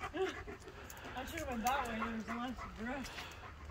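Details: Dogs worried about their owner, whining in a run of rising-falling whimpers, several short wavering notes over about three seconds, with a woman speaking nearby.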